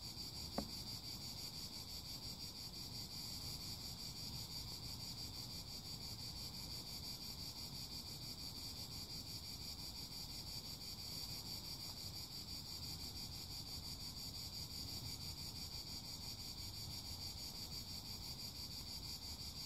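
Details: A long, even, high cicada chorus, a rasping shimmer that keeps going without pause, over a low constant rumble, with one short click at the start.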